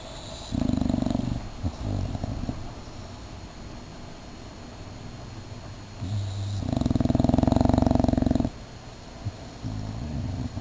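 An English Bulldog snores in loud, rough, rumbling bursts with quieter breaths between.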